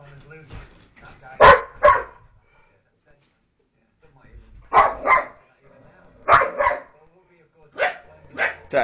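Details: Pet dogs play fighting together at home, giving sharp barks in quick pairs, four pairs over nine seconds with quiet gaps between, over low background voices.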